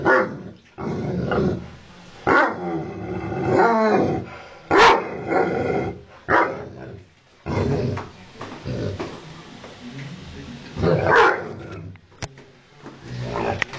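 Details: Ovcharka mix dog barking and growling in anger at its owner; gravelly growls rise into sharp barks at irregular intervals, with a few snarling bursts and quieter rumbling pauses.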